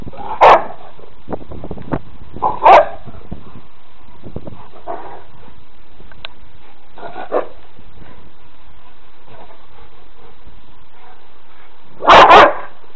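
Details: Rescued Rottweilers Pharoah and Berni, rehomed from Fife Rottweiler Rescue, playing in a garden: loud, deep barks come in short bursts, two early on about two seconds apart, then quieter thuds and rustling, and a final double bark at the close.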